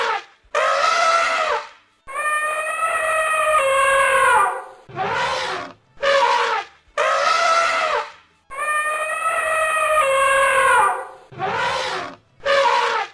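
An African elephant trumpets in loud, brassy blasts, each one or two seconds long, repeated with short pauses.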